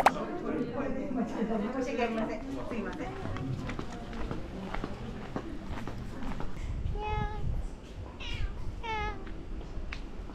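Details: Domestic cat met at an inn on a hot-spring trip to Yufuin and Beppu, Ōita, Japan, meowing at a returning visitor; a woman talks over low room noise first, then three short falling meows come near the end.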